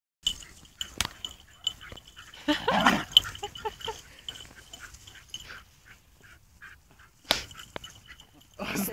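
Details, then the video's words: Two dogs at play, a wire fox terrier named Eliška and a basset hound named Peggy, either one vocalizing: scuffling bursts and sharp knocks, a rough whining growl around the third second, then a run of short, high, clipped yips fading out. "Wire Fox Terrier and Basset Hound play"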